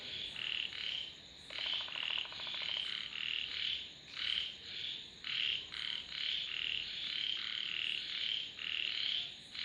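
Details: Dense frog chorus: overlapping bright croaking notes run almost continuously, several callers alternating, with a brief low buzzing rattle early on and a thin high hiss throughout.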